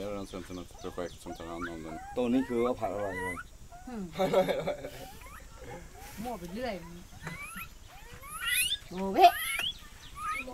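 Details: A young gibbon from Myanmar, apparently caught by hunters, calls in rich, wavering, harmonic hoots and bouncing runs that sweep up into shrill, rising whoops, with brief human chatter mixed in.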